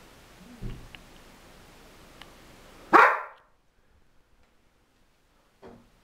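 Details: Mona, a pet dog, greets her mistress for the first time in a week, just after the woman's discharge from hospital. One sharp, loud bark rises out of a quiet indoor room, followed by near silence and a faint soft sound near the end.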